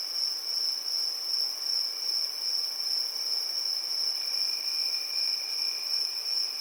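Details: Evening cricket chorus in summer, a constant piercing trill with gentle pulsing swells in loudness and a softer lower tone that comes and goes beneath it.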